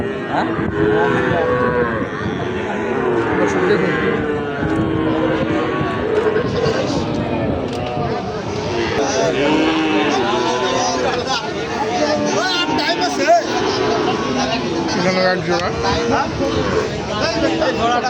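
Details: Sahiwal bull calves for sale at Ambari livestock market, held on Fridays and Mondays: many overlapping drawn-out moos, some wavering and rising, sound almost without pause over a constant din of crowd chatter and bargaining voices.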